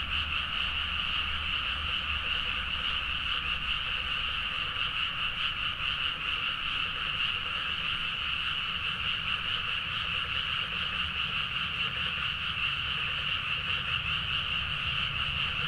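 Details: Late-night paddy-field chorus of many frogs in Nagaoka, Niigata, Japan, taken with a Zoom H4n: a dense, even blanket of croaking that never pauses, faint rapid pulsing within, low rural rumble below.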